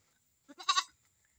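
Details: A newly kept Visayan goat, a pet, gives one short wavering bleat of about half a second. The bleat is built from quick pulses and rises to a louder middle, against a quiet background with a faint steady high hiss.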